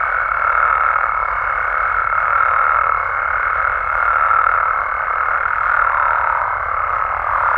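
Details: Mexican frogs and toads at night, massed calls blending into an even, buzzing drone, with brighter pulses every second or two over a steady high tone.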